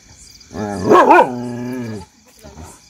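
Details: Street dog barking at strangers, a single drawn-out, wavering bark-howl lasting about a second and a half, rising then settling, followed by quiet background noise.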